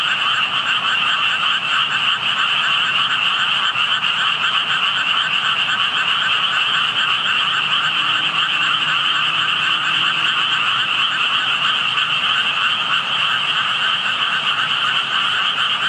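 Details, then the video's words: Frogs heard from a roadside spot where only tadpoles were visible, the callers hidden; a dense, unbroken chorus of many overlapping croaks forms a steady rasping hum in two bright bands, mid and high, with no pauses. "개구리 소리"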